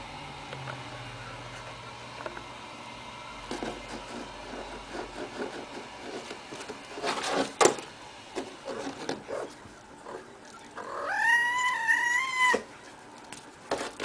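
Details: Playful female cat rolling around wildly: scattered rustles and tapping clicks, then near the end one loud, steady, high-pitched mew lasting about a second and a half, slightly wavering before it cuts off.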